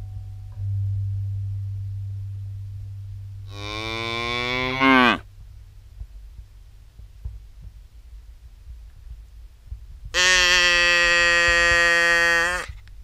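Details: Cattle in a herd heading out to graze, one animal mooing twice: a long sound that drops and fades near four seconds, then a steady, even, harmonic-rich moo of about two and a half seconds; quiet low rumble between calls.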